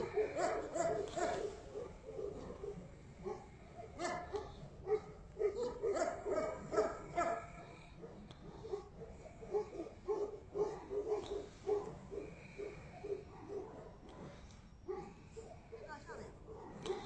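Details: Tibetan Mastiff giving continuous, fast barking, about two barks a second, slightly uneven in rhythm, over a constant noisy background.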